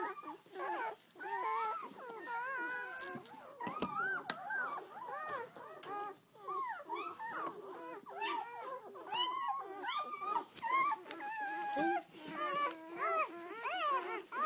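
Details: Eleven red-rust Doberman Pinscher puppies, seven females and four males born 7-12-10, on their first day out; a dense chorus of high, wavering whimpers and squeals overlapping continuously, rising and falling in pitch, with brief quieter gaps.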